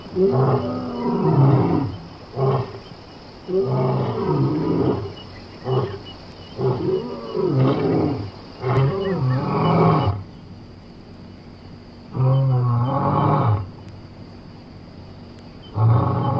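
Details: Lion from Somali wildlife: a long series of rough, low roars and grunts. Tightly packed bursts come first, followed by a few spaced, shorter grunts with pauses between.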